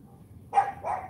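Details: Cane Corso puppy, a female AKC champion named Charme, barking during morning training: a short bark followed by a softer second bark, both mid-pitched with rough harmonics, over a quiet background.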